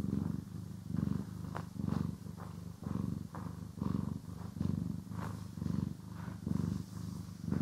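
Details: Purring house cat being brushed and groomed, stereo recording: low vibrating purr rising on each inhale and exhale, about once per second, with light brush scratches and small clicks over it.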